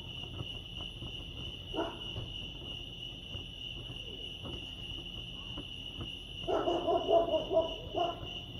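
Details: Crickets chirping at Lake Arrowhead, California: an unbroken high trill throughout, with a short bark near two seconds and a louder cluster of barking or hooting toward the end.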